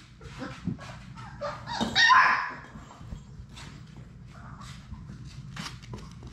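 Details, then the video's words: Sadie's six Labrador Retriever puppies playing in an indoor play room; a sharp bark-like yelp rises and fades in the middle, framed by small whimpers, scrabbling paws and a steady low hum. "Labrador puppies at play!"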